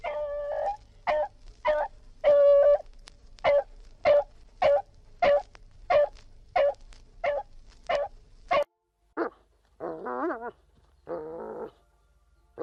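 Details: Dog barking: a steady series of about fifteen sharp, clipped barks at roughly even intervals, then a few drawn-out wavering whines at the end, in a clean setting with no other sounds.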